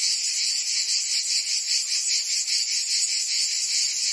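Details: Cicadas in song during summer in Provence, France, give a continuous, bright, high-pitched rasping drone, pulsing gently at about two and a half beats a second, with no other sounds.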